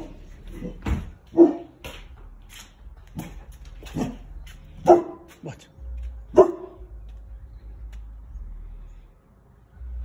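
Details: Boerboel puppy barking, upset by a neighbour's surround sound with pumping bass and calling its owner out: a few deep single woofs spaced several seconds apart among softer huffs, with a low bass rumble and a man's voice.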